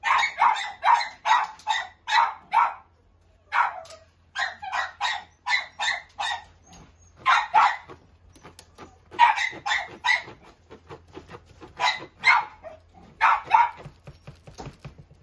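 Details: Persistent Corgi barking, series of sharp, fairly high barks in fast clusters broken by short gaps, continuing throughout with no other notable sounds.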